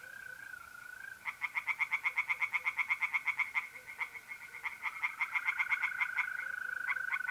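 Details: Pond-side night chorus in North-East Italy, mid-April: after a mole cricket's steady trill, tree frogs break into rapid, rasping croak series of about five seconds, with the cricket's unbroken buzz resuming beneath them.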